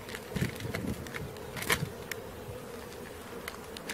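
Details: Swarming honey bees during capture, a continuous droning buzz with a steady low-mid band, broken by sharp bumps and clatter from the catching work.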